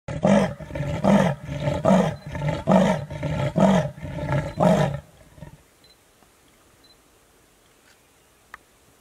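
An African leopard gives a series of deep, rasping grunts, like a saw drawn back and forth.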